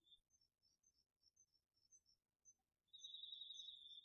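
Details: Crickets and other autumn insects at night in a garden vegetable field, recorded on a DR-40X: faint, scattered high chirps for nearly three seconds, then a sudden loud, fast pulsed trill takes over.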